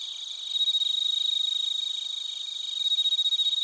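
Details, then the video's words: Bell crickets and crickets recorded in Narita, Chiba Prefecture, Japan, using a TASCAM Portacapture X8: close, bright, fast-pulsing high chirps in a continuous trill, building in loudness after half a second and throbbing strongly again at the end. "スズムシとコオロギの鳴き声 - Chirping of crickets"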